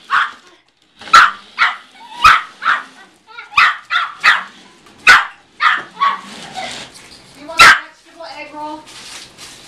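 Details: A Yorkshire Terrier about 1 year old, a very small dog weighing 4.5 lbs, chases a car, giving high, sharp yapping barks in quick bursts, with people talking nearby.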